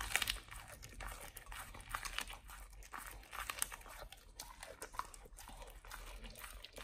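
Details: Nomyen, a Pit Bull, eating a raw whole Thai duck for the first time: dense, crisp crunching and crackling bites in quick irregular bursts, with sharper snaps at the start and near five seconds.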